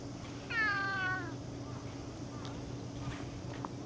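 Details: One clear, drawn-out cat meow, tonal and gently falling, lasting under a second, followed by quiet low hum and a few soft taps in the background.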